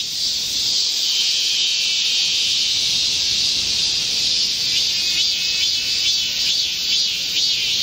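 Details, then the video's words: Chorus of Korean cicadas in a midsummer green forest during a heatwave, 25 July 2024: continuous loud high-pitched droning with a slight wavering pulse, unbroken from start to finish. "Korean cicadas, a chorus in a midsummer green forest | 한국 매미들의 한여름 초록 숲속의 합창"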